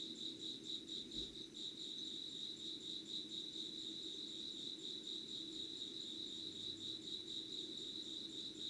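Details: Insects calling at 05:00 on 25 August 2019, unedited recording: a steady, high-pitched pulsing trill with a fast, even beat runs throughout, over a low, constant background hum.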